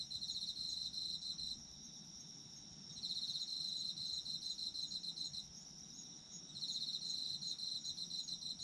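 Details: Autumn insects in a nighttime-style sleep recording: bursts of rapid, high-pitched pulsed chirping alternate with brief lulls, while a continuous shrill whine from other insects runs underneath throughout.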